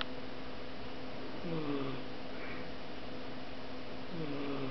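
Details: A female British Shorthair cat snores softly while asleep, each breath ending in a faint, falling, whistly wheeze over a low hum.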